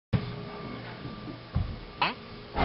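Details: Domestic cat so eager for its food that it gets in the way at feeding time; a single brief rising meow sounds near the end, among thumps, handling noise and a steady indoor hum.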